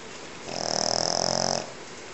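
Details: A sleeping Pekingese, described as the loudest snoring dog ever heard, gives one rasping, rattling snore lasting about a second.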